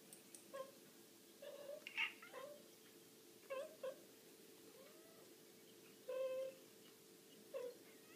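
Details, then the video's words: Domestic cats calling for food: short, sharp meows and a few wailing, strained cries scattered across the stretch, separated by quiet gaps, with a constant low hum in the background. "Cats demand food"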